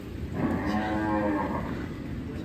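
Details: Large black champion contest bull known as Grandong Hitam, lowing with a drawn-out, steady harmonic moo of about a second over constant background noise.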